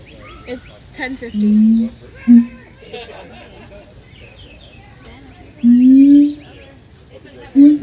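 A siamang gives low, drawn-out hooting notes that rise slightly, with faint bird chirps behind.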